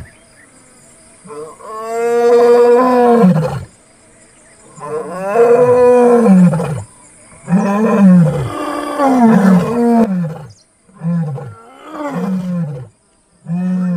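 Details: Casper, a white lion, in full roar: deep, drawn-out moaning bellows, each trailing off into shorter grunts.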